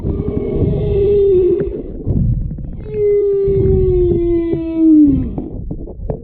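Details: A humpback whale mother and calf directly beneath a paddleboard off Wailea, Maui, on 3/2/26, heard underwater: long, moaning, cow-like tonal calls sliding slowly downward, the calf giving high chirps.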